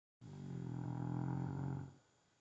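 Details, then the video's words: Sleeping rescue dog snoring: one long, low, rumbling breath with a dense stack of deep tones, lasting under two seconds, beginning abruptly and then fading into a quiet room. "Dog Snoring"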